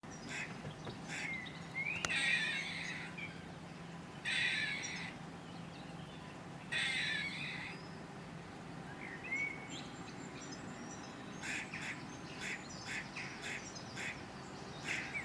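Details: A UK grey squirrel gives its alarm call, a throaty bark. Rough, hissing rasps about a second long come in bursts, followed by a run of short, sharp, clipped chucks, with a few faint bird chirps in the background.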